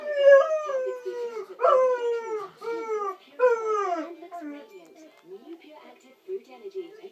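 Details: Irish Setter howling because the owner has left for a while in the morning; repeated mournful howls sliding downward, some starting with a sharp yelp, roughly one per second, fading into quiet whines.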